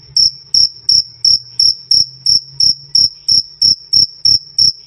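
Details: Loud, clear cricket 'krik krik' chirping, meant as a tutor sound for songbirds: a steady run of short, shrill, high chirps spaced about a third of a second apart.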